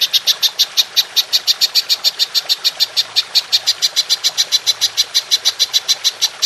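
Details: Golden grasshopper giving a long 'nembak panjang' call, used as a training recording for songbirds. A steady, rapid run of sharp, high, buzzy pulses repeats about three times per second throughout.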